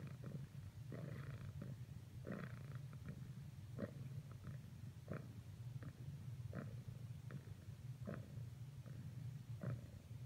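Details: A domestic cat purring steadily while persisting in attempts to cuddle with a companion; a continuous low rumble throbs under repeated soft clicking and rustling bursts, roughly every half second to second.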